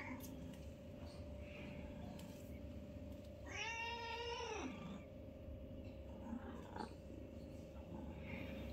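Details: A newborn kitten among a litter of five plays with its mother inside a home, giving one loud, rich meow lasting over a second that dips at the end, then quiet faint squeaks against a continuous hum.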